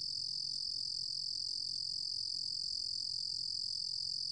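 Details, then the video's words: Uninterrupted, very high-pitched ringing trill of a 루루곰귀뚜라미 cricket, recorded in 2020 by the National Institute of Biological Resources, steady in pitch and loudness throughout with a soft low hum beneath. "루루곰귀뚜라미, 여러번 듣기, 곤충소리"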